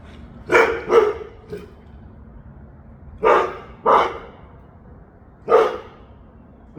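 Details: Mishka the dog barks to be let outside: loud, clear barks coming mostly in quick pairs, with pauses of about two seconds between the bursts.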